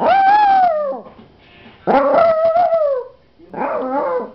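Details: Puppy howling: three drawn-out tonal howls, the first sliding downward, the second rising then falling with a wavering tail, the third shorter and broken, separated by brief quiet gaps.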